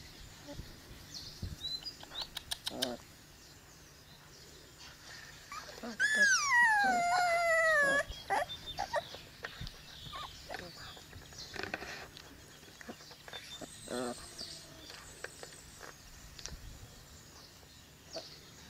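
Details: Cane Corso puppies at 22 days old, from Paula and Angelo, already chipped and given a first deworming. One long loud whine slides downward over about two seconds, amid scattered soft squeaks, clicks and rustling.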